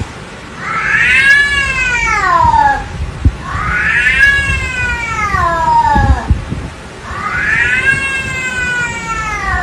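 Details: Domestic cat giving three long, loud, drawn-out meows, each rising and then falling in pitch, spaced about two seconds apart, with faint background rustling.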